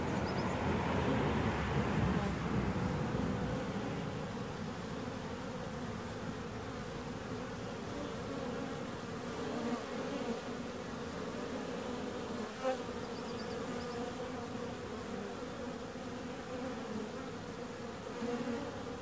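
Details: Continuous low droning buzz of bees, louder in the first seconds and then holding steady, with occasional soft knocks and faint rumble in the background.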